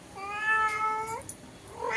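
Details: Through the window, the indoor cat and a black stranger cat outside call to each other: one long whining meow bending upward at its end, then a new meow beginning. Quiet room.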